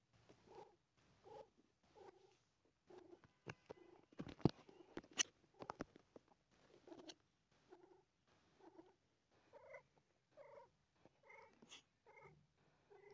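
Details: A mother cat in pain while delivering four kittens purrs in soft rhythmic pulses, roughly one every three-quarters of a second, with brief sharp clicks and rustling near the middle.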